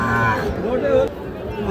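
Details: Sahiwal bull calves at Raniganj cattle market, 25 June 2026: one short, tonal moo of under half a second in the middle, over steady human voices and market chatter.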